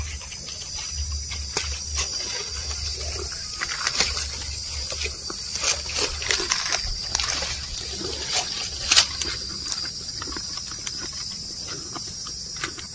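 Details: Cattle, cows and oxen, grazing while they walk: scattered sharp rips and soft munching clicks at uneven intervals over a constant shrill background hiss and faint low hum.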